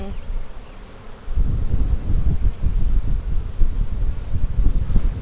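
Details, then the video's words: Honey bee colony, a March 4 split with an old laying queen, inspected April 15, 2017: a quiet low hum swells after a second into a louder rumbling buzz, mixed with frame handling. "Bee Hive Inspection"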